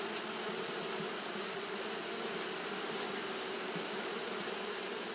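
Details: A steady hum of Japanese honey bees fanning through a hot day, the low buzz pulsing faintly now and then beneath an even wash of hiss and a thin, high steady tone.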